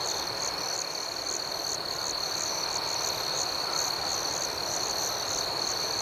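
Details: Night chorus of crickets, a continuous shrill high-pitched ringing with a faint pulsing, rapid chirp layered above it, steady throughout with no single standout caller.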